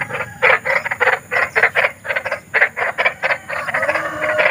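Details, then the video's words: Big frogs calling at night in the wild, used as a sleep aid for fussy children; dense pulsed croaks in quick bursts, several voices overlapping, with a steady high insect-like hiss behind. "SUARA KODOK || KODOK BESAR || SUARA KODOK SERAM"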